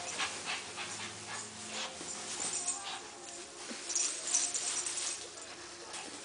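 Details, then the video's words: Roscoe the Husky during play fighting: a busy run of short, breathy whimpers and yips, mostly high and hissy, with a few brief tonal squeals breaking through and a low hum underneath throughout. "Kenji taking down Roscoe the Husky."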